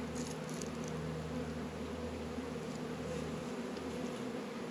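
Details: Close, dense buzzing of honey bees at a northern Kentucky apiary on a warm February day of 72 degrees. The thick, even, low hum fills the whole moment without pause.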